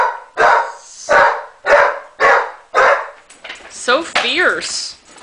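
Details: A female Basset Hound gives a run of deep, hoarse barks, roughly two each second, while chasing another dog at play, then a person speaks.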